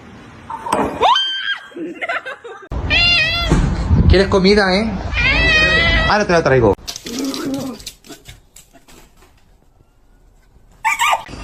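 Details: Cat voicing a quick string of wavering, insistent meows and yowls, several per second and bunched in the middle, while a person talks over and between the calls indoors. Rustling and clattering come afterwards.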